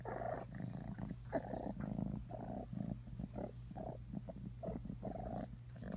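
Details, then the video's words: Atreyu the cat purring: a steady low rumble with rhythmic pulsing bursts as breath cycles in and out, continuous across the whole stretch with no other clear sounds. "Atreyu purring"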